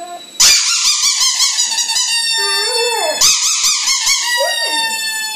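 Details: Pet dog howling indoors; long wavering high-pitched howls with rich harmonics, two drawn-out bouts each ending in a falling lower moan.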